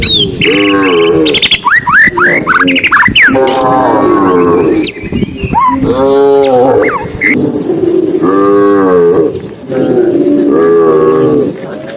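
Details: On a sunny afternoon in green countryside, tame cows walking along while being herded moo repeatedly in long, arching calls several seconds apart, with bright bird chirps mixed in early on.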